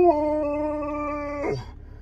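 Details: Steady, level howl from a Husky, held evenly for about a second and a half, then ending in a short downward yelp, in a quiet indoor setting.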